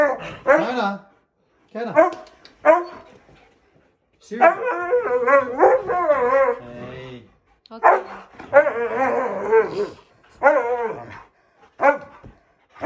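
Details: A pet Siberian Husky, an 11-year-old male living with a younger brother, complains to his owners after they come home from leaving him. Repeated yodelling, bending howl-talk phrases come in separate bursts with silent gaps between them.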